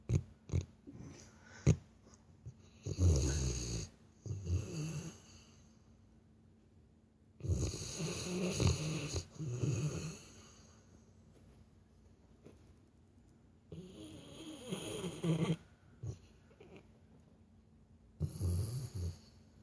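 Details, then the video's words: Over nearly twenty seconds a sleeping Labrador Retriever snores like a person, with a steady series of rough, gurgling snores every four to five seconds and faint breathing between them. "Labrador roncando igual gente"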